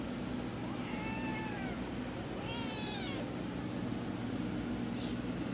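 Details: Orange free-roaming village kittens giving two thin descending meows and a brief faint squeak, with constant low hum and hiss behind.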